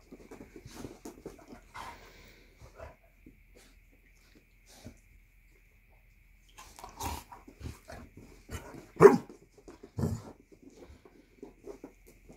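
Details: Basset Hounds, a female and two males, in an after-breakfast play fight indoors after one jumps off the couch; scattered low growls and snuffles, then sharp barks near the end, louder bursts separated by quiet pauses.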